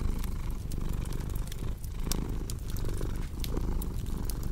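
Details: Deep, even purring of a cat, rhythmic swells marking each inhale and exhale, mixed with crisp crackling and popping of a log fire.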